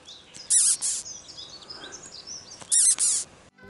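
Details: A caterpillar gives two short bursts of shrill, high squeaks about two seconds apart, each a quick cluster of falling, whistle-like notes over faint hiss; such squeaks can fend off attacking birds.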